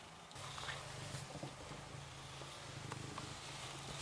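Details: Shelter cat Rysiek, kept in an isolation room at the Milanówek shelter, purring as he is petted: a continuous low, pulsing rumble filling all four seconds, with faint handling rustles above it.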